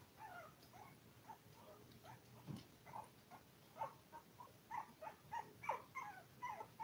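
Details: Five-week-old toy poodle puppies, seven in a litter, filmed indoors while eating, playing and sleeping. Thin, high squeaks and whimpers come in short overlapping bursts, roughly once a second, growing busier toward the end over a soft background hiss.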